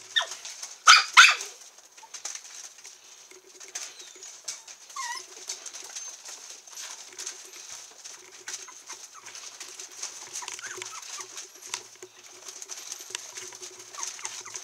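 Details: Black-and-tan female long-haired Miniature Dachshund puppy, 22 days old, born 1 December 2014, filmed 23 December at a breeder in Kochi, Japan; brief thin high whimpering squeaks, some rising, scattered among frequent rustling and shuffling noises.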